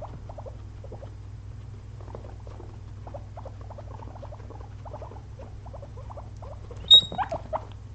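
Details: Pet guinea pigs, two of them, dozing after a day of munching frozen blueberries; faint repeated short chirping squeaks in a quiet room, ending with a sharper higher squeal and a few louder squeaks.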